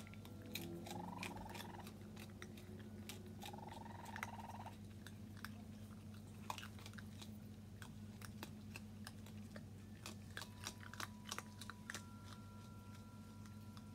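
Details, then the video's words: New raccoon kits out with their mother Tantail on their first visit, 22 June 2022: two rapid, buzzy chirp bursts early on, then only busy crunching, chewing clicks and a steady low hum. "Mother Raccoon With New Kits * Chirping Sounds!"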